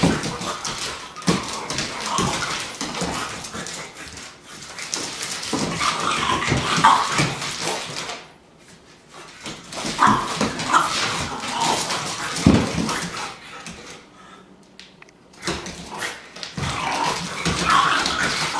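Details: Irish Setter giving bursts of rough barks and whimpers in an indoor room, with loud stretches broken by two quiet pauses near the middle and end.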